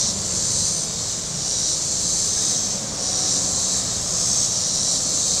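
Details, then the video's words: Cicadas on the shore of Table Rock Lake, southern Missouri, on a very warm Saturday: a steady, high, hissing buzz that swells gently and fades, over a faint low hum of boats on the lake. "Boating Lake Sounds and Cicadas"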